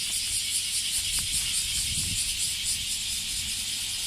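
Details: Singing male bear cicada on a park tree in Kansai, Japan; an intense, hissing, high buzz beating in steady pulses over the whole stretch, with light low-pitched background rumble.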